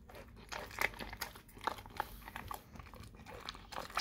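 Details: Dog eating a raw cow tongue indoors, with wet crunching bites and smacking chews in irregular bursts, sharper clicks of teeth now and then.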